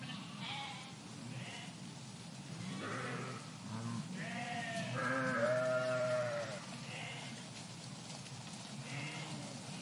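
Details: Park flock of sheep calling, scattered distant bleats at first, then several closer trembling bleats overlapping in the middle, a clear wavering high cry around the sixth second, quieter calls fading afterward.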